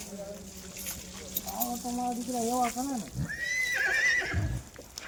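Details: Kathiyawadi horse at a horse farm giving a high, quavering whinny that wavers and falls, following a man talking nearby.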